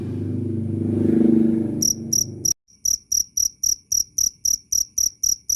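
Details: Cricket chirping, loud and clear, for bird training, therapy and repelling rats; a low rumbling hum fills the first two seconds, then crisp high chirps repeat about four per second after a brief gap.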